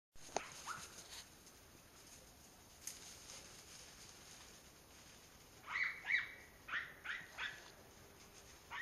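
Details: German Hunting Terrier giving a quick run of high, yelping cries in the second half, several short rising-falling yips close together after a quiet stretch with faint distant sounds.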